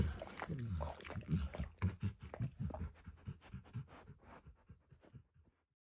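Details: Pet dog Emperor Max at a bumpy orange mat with eggs and diluted peanut oil: a brief breathy, whining tone, then quick wet licks that speed up and fade into silence.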